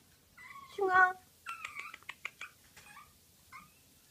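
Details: A cream Pomeranian lets out a high, whining yelp that rises and falls, then a rapid string of short, clipped yaps, closing with a brief yip in a quiet indoor room.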